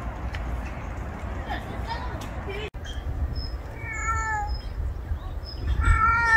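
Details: Rural stray cat in the countryside, giving two clear drawn-out meows, slightly falling in pitch, one near the middle and one at the end, over a steady low outdoor rumble with thin high tones and a brief sharp click.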